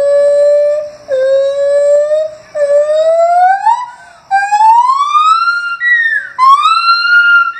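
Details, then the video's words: A gibbon at Henry Vilas Zoo on 9 August 2015 howls, giving pure, whooping notes that slide upward, each rising higher than the last. "Gibbons Howling"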